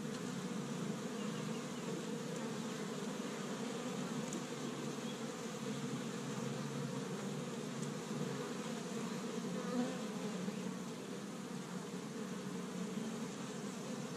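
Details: Established hive of honey bees in Michigan, active on the first warm day of spring while foraging pollen from tree buds; a long, unbroken, swarming drone of many wings, steady throughout with slight swells.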